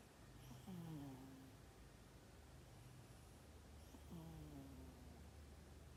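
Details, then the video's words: Snores from a sleeping cat, dated 12 December 2021: two low, throaty, gliding snorts about three and a half seconds apart, each falling then levelling off, over a steady soft background hum. "Snoring cat"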